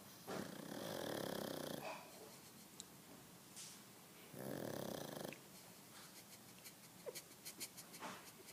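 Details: Pug snoring indoors: two long rasping snores, each about a second, broad and rough with a buzzy flutter, separated by quieter breathing, followed by a series of short soft clicks and snuffles near the end.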